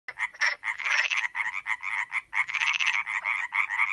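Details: Iberian tree frog (Hyla molleri) in the Valsaín woods, Sierra de Guadarrama National Park, Spain, giving a rapid, raspy, nasal croaking call in quick pulsed bursts.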